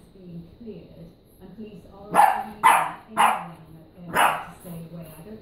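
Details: A French bulldog gives four sharp, gruff barks in quick succession at a stuffed donkey toy while a person talks softly.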